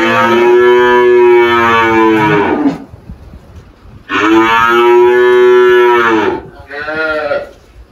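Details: Malhada, an 18-year-old Girolando cow on a farm in Anápolis, Goiás, Brazil, recorded 1 March 2023 after calving a heifer calf: three loud, drawn-out harmonic moos, the first two long and the last shorter and higher.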